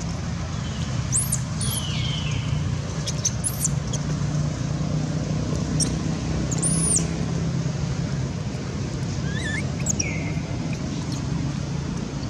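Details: Baron, a baby monkey kidnapped by monkey Bridget, calls loudly for its mother with shrill arching squeaks and falling whistled cries in quick bursts, while constant low vehicle noise rumbles underneath.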